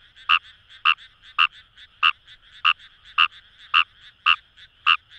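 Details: Fejervarya kawamurai in rice paddies of the Kamo River area, Itoshima, Fukuoka, Japan, giving loud rasping croaks about twice a second, each a brief buzzy pulse, over a soft continuous chorus.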